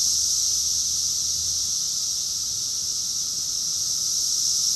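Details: Summer chorus of cicadas recorded in Rockville, Maryland, USA, in June 2021: a dense, unbroken high-pitched buzzing hiss holding steady throughout, with a faint low hum beneath and no other clear sounds.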